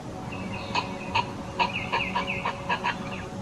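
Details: An eastern gray squirrel spots a distant predator and warns its neighbours with a string of short, clucking barks, about two or three a second, with a faint background hum.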